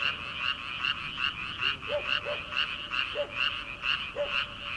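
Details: Paddy-field frogs in early summer, before rice planting, in full chorus: grating croaks repeat in quick rhythmic pulses, joined by a few separate deeper notes.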